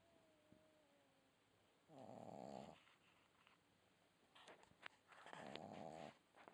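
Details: Snoring red Boston Terrier puppy: two buzzy, rasping snores about three seconds apart, with a soft high whistle before the first and a few small clicks or sniffs near the second.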